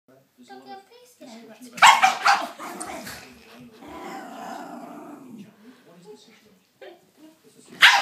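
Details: Cairn Terrier barking at a Scottish Terrier draught stopper it hates; a short burst of sharp, loud barks about two seconds in and another bark at the end, with a person talking softly throughout.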